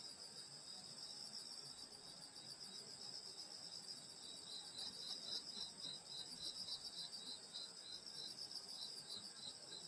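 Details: Grass insects singing on a summer night in the countryside by a grandmother's house: a dense, steady high-pitched shimmering chorus with a fast pulsing chirp running beneath, continuous throughout with no gaps.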